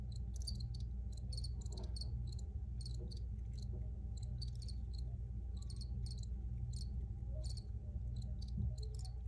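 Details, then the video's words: Crickets chirp in clustered high-pitched pulses, several overlapping in quick groups, steady throughout, above a persistent low-frequency hum. "Free Cricket Sounds for Re-Use or Relaxation"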